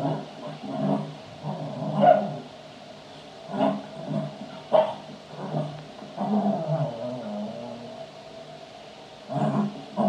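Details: Playing Cavalier King Charles Spaniel barking and howling indoors: short, irregularly spaced bark bursts about every one to two seconds, with a drawn-out wavering howl midway, then further sharp barks at the end.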